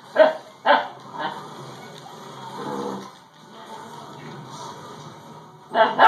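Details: A female Husky puppy named Dakota, upset by a doorstopper, gives two quick sharp barks and a softer third, then a quiet stretch with low murmuring before another bark at the very end.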